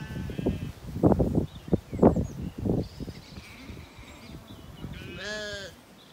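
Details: Recently weaned Zwartbles lambs on a regenerative farm in County Kilkenny, Ireland, grazing calmly in an orchard in the evening; low munching and rustling thumps, then one late wavering, harmonic bleat near the end.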